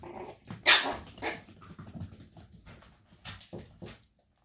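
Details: Brother and sister Chihuahua puppies give one piercing high yap near the start, followed by a run of short, rough growly grunts and a few smaller yips that fade into silence.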